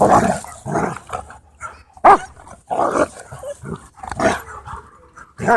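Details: At a dog park, dogs at play trade a rapid string of harsh, gravelly growls and snarls, bursts coming about every half second to second.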